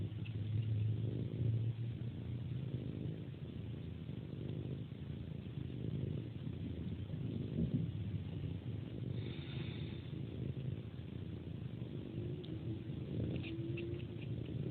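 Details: Cat suckling a hand like a pacifier before sleeping, purring in a continuous low rumble, with a few brief higher sucking squeaks near the end.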